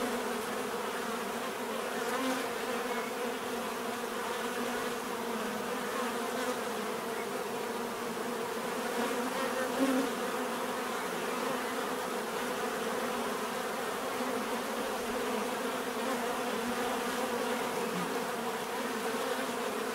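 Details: Natural swarm-like hum of bees, steady low drone with faint individual insects passing closer now and then against the constant buzz.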